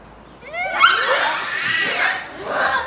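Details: Captive Japanese macaque troop at Hamura Zoo, Japan, in December 2020, noisy at dusk near closing time: rising whistled calls sweep upward, then a loud harsh, broadband shriek swells and fades.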